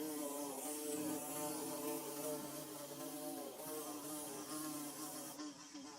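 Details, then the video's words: Bees constructing a nest produce a thick, wavering buzz of several overlapping tones, fading slightly toward the end. "Bee Buzzing"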